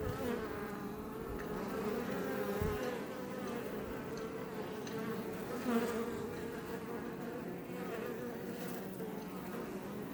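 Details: Iberian honey bees around a Langstroth hive west of Roquetes in south Tarragona, Catalonia, Spain, close to Els Port National Park: constant layered humming drone, with one bee swelling louder as it passes close.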